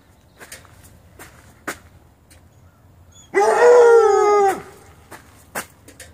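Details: Bluetick and Black and Tan Coonhound puppies giving a single short howl, about a second long, held steady and then sliding down at the end, with faint clicks and taps before and after.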